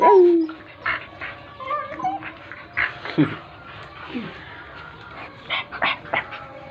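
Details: A dog whimpers with a thin, high whine that slides downward at the start, followed by scattered short yelps and squeaks over steady background music.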